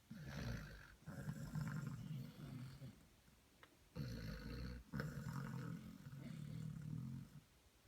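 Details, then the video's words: Sleeping Basset Hound puppies snore with deep, raspy, rattling breaths, a long noisy snore followed by a quieter pause and two more throaty snores close together. "Snoring Puppies - Sherlock and Watson - Basset Hound Puppies"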